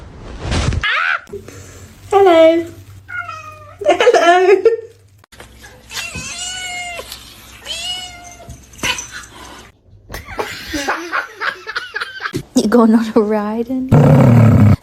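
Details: Kitten meowing call: repeated drawn-out, wavering meows with strong harmonics, some rising then falling, mixed with human talking and an indoor hum, with a loud harsh burst at the end.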